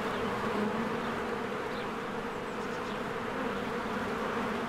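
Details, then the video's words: Many honeybees working at a cozy beehive in spring, streaming in and out of the entrance; a thick, continuous droning buzz, slightly rough and pulsing, with faint thin chirps in the background. "1 Hour of a Beehive ASMR"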